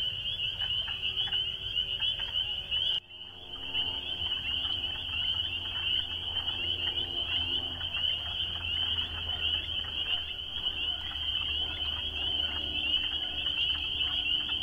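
A dense chorus of spring peepers, their high piping peeps merging into one continuous shrill ring.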